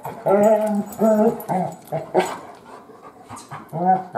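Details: A new family pet, the Great Pyrenees puppy Biscotti, female and nearly three months old, whimpers in a run of about six short, nasal whines separated by brief pauses, with soft snuffling between them.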